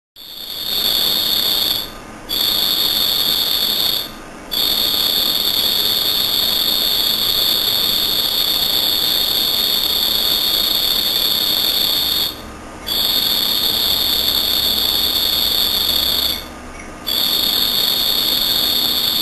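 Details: A cricket's high, steady trill runs almost without a break, stopping only briefly now and then; recorded at night, possibly its calling song.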